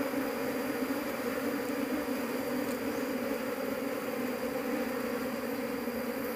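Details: A large Apis cerana honey bee colony hums loudly while being searched for its queen, meant for home beekeeping; continuous thick drone with two bright low bands, even and unbroken throughout.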